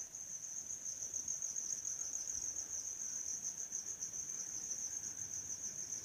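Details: Insects sounding around a house in the owners' absence, producing a constant high-pitched shrill drone that holds steady without pause for the full six seconds, over a faint low background hum.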